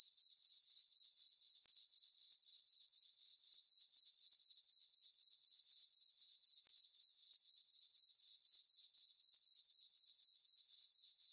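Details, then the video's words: Summer-night crickets in a moonlit farm meadow produce an unbroken, high-pitched pulsing chirp, roughly four beats per second, very even throughout, with nothing else audible. "Cricket chirping sounds for sleeping"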